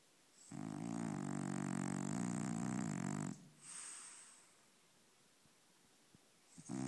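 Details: French Bulldog named Brownie, asleep and dreaming, gives one long rasping snore of about three seconds, rich in low buzzing harmonics, followed by a softer exhaled breath and quiet room sound.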